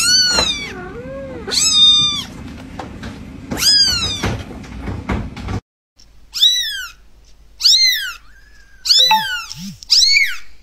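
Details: Playful fluffy kitten meowing repeatedly: piercing, bent cries over a noisy hiss at first, then after a short break, a clean series of high, falling mews with a couple of soft low chirps.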